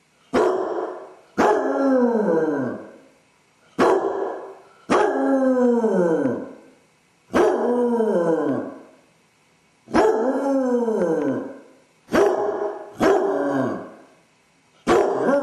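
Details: Basset hound Dodger, alone indoors and suffering separation anxiety after his owners leave, gives a run of about nine loud bark-howls, each starting sharply and sliding down in pitch, spaced one to two seconds apart.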